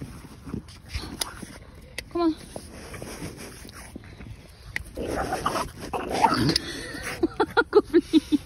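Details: Female French Bulldog Margo, refusing to leave a ball found on a walk, gives one short whine, then a quick run of about nine brief pulsed whimpers near the end, while a woman coaxes her and laughs.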